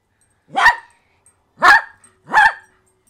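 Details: Pet poodle barking three times, short sharp barks spaced roughly a second apart, in a quiet indoor setting.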